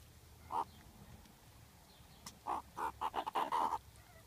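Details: Meerkats eating fruit ice lollies on a very hot day give short, clipped chirps in a quick run of squeaky notes.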